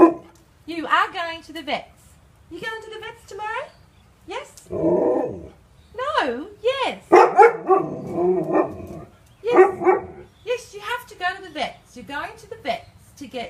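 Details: Alaskan Malamute vocalizing in a funny pet compilation: a string of wavering, rising-and-falling woo-like yowls and short bark-like bursts, delivered in uneven phrases with brief pauses, like talking back, with no steady background sound.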